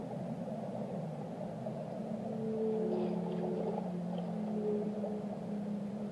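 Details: Whale song of drawn-out, wavering low moans that swell in the middle, with a higher sliding tone laid over them, set against dense rumbling underwater noise.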